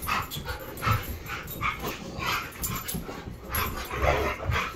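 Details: Siberian Husky pups playing in the morning, sounding angry though it is only play: a continuous jumble of rough growly yips and grumbling vocalisations, irregular and overlapping, with scuffling noise throughout.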